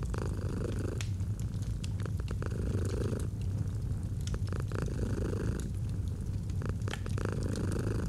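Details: A pet cat's gentle rumbling purr rises and fades in long breathing cycles while logs crackle and snap in a fireplace.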